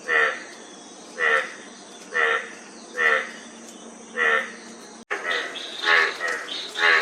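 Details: Frog croaks spaced about a second apart, short raspy pulsed notes, then an abrupt cut to a busier passage of overlapping rattling calls and higher chatter.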